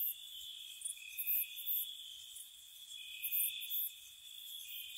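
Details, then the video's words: Spring night crickets: continuous high trilling bands overlapping, with louder chirping bursts rising roughly every second and a half, set in a calm nocturnal ambience. "Cricket Sounds"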